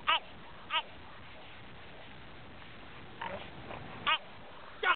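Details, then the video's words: French Bulldog barking at elk, giving four short, punchy barks at uneven intervals, two early and two late, with a soft murmur between them against low background noise. "French Bulldog barking at elk"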